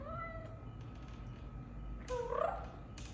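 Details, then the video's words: House cat making its kroo kroo sound when talked to; a single short rising chirp near the end, preceded by a faint tone and soft background noise. "Talking to cute cat using her kroo kroo language"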